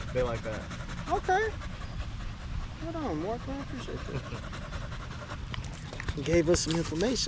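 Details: Male Staffordshire Bull Terrier in a long evening session at the park with other male dogs, a 'wolf pack chat': short whining yowls that bend up and down, scattered across the clip, over steady panting and rustling background noise.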